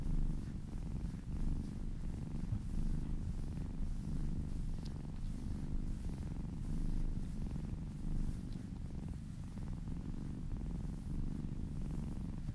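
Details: Pet cat purring under massage, a soft low rumbling drone with regular breath pulses throughout, slightly quieter, accompanied by gentle brushing and rubbing sounds.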